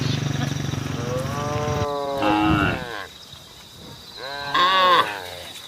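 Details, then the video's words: Cattle on a road, calling the herd: a drawn-out buzzy low call opening the recording, then shorter arching harmonic moos around the second and fifth seconds, with a steady high hiss behind. "SAPI DI JALAN SUARA SAPI BUNYI MANGGIL KAWANAN"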